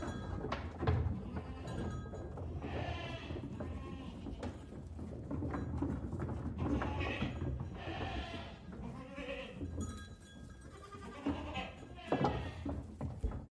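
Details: A herd of goats moving out bleats repeatedly, wavering nasal cries rising and falling over a steady low background rumble.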